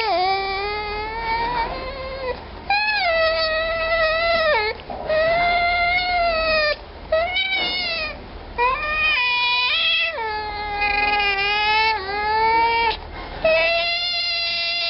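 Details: Young African clawless otter, a rare baby, calls in a run of drawn-out, nasal, harmonic wails, each lasting one to two seconds with short gaps, some sliding up or down at the ends.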